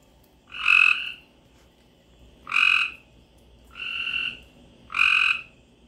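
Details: Frogs and toads in Florida sing after a late-spring rainstorm; one gives loud, nasal, buzzy calls, each about half a second long, repeated roughly every one and a half seconds. Frog.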